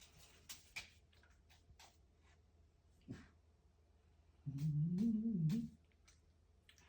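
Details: Cat eating a grasshopper: scattered chewing clicks, then a loud wavering, throaty moan of about a second, followed by quiet, with a short sound at the very end.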